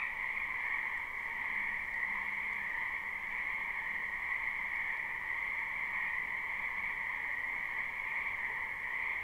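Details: Frogs in large numbers fill a springtime wetland with an unbroken trilling chorus, recorded live with no loop; the sound holds even and constant throughout, with a faint low hum briefly audible.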